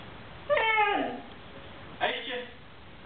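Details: Pet Siberian Husky 'talking' to its owner: a loud, harmonic, falling yowl lasting about half a second, then a briefer, rougher vocal burst, with the owner's coaxing Czech speech nearby.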